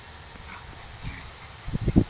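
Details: Tibetan Spaniel bitches in heat, five kept at a kennel: after a quiet, noisy stretch, a burst of short low whimpers and grunts comes in quick succession near the end, growing louder, over a steady low hum.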